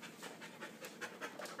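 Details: Husky pup wrestling in play, with Chihuahua and Lab mix dogs also named. Quick, breathy panting in rhythmic bursts, roughly five breaths each second, rising and falling steadily; a person had just been telling the dogs to come and sit.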